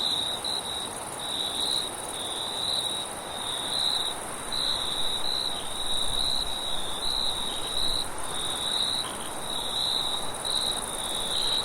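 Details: Crickets trill at night in a steady, high chorus of pulsed chirps over a soft rush of wind.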